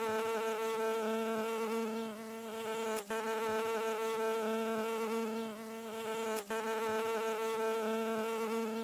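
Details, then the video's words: Landing bee in a tinnitus masking track: a continuous droning buzz, evenly pitched and full of overtones. Short sharp breaks interrupt it twice, roughly three and a half seconds apart. "Mid-Frequency_Bee Landing"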